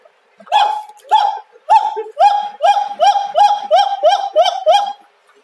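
A siamang gives a series of loud, harmonic whooping calls that grow quicker and closer together.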